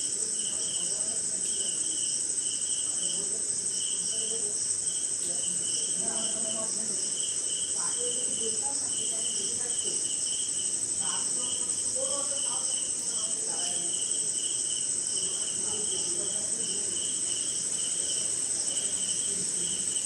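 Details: Night chorus of crickets in Indian jungle during a short rain: constant piercing high-pitched ringing, a pulsing mid-pitched chirp band that breaks off and resumes, and scattered short notes from other insects or creatures below.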